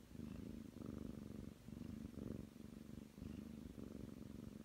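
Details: Ragdoll cat, nine months old, kneading its person's outstretched arm on the bed and purring: a deep, even rumble pulsing in breath-length surges roughly every three quarters of a second in a quiet room.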